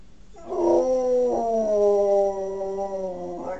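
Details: {'caption': "Pet male dog's attempt at howling, said by his owner to sound like a pig: a loud, drawn-out howl lasting about three seconds, starting with a brief break, then a smooth, slowly falling tone ending in a short upward yelp."}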